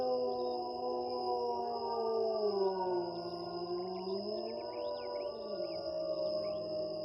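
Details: Several gray wolves (Canis lupus) howl together at night in a forest, with long, slowly gliding tones over a steady high cricket drone.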